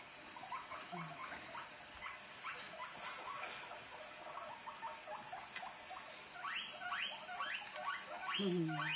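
Guinea pigs make rapid, soft squeaky chirps and crunching sounds while eating, with a person speaking briefly.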